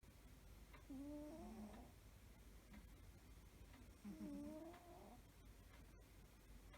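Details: A domestic cat snoring while asleep, two quiet breaths about three seconds apart, each carrying a faint whistled, slightly wavering nasal tone over a steady background hiss.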